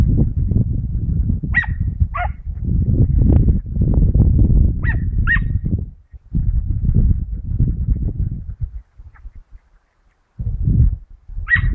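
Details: Teckel Mota hunting rabbits outdoors, recorded 22 August 2012; a few scattered short, high yelps and barks break through loud, gusty low rumbling, with a brief near-silent gap before a final yelp.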